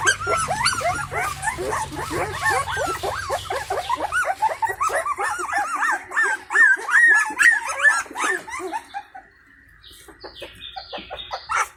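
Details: Crying Indian Pariah puppies seeking their stray mother at feeding time; steady rapid whimpering for about nine seconds, then quieter scattered squeaks and clicks.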